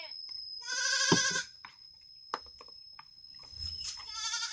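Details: Goat bleating on a farm, a loud harmonic wavering bleat near one second followed by a quieter stretch of clicks and rustling, then another rising bleat at the end; a steady high whine runs throughout.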